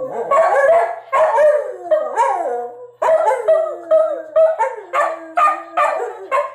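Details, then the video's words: Pet dogs Atka and Nuka howling along with a recording of their own earlier howls at home. Voices layer in a dense chorus of wavering howls, some notes bending downward, others pulsing in short repeated rises. "Atka & Nuka howl at - an old video of them howling at - an even older video of them howling."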